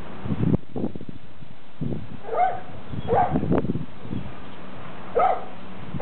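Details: Dogs barking at a neighbour's dog over the fence; a few sharp, hoarse barks at irregular intervals, mixed with deeper rough low sounds in between.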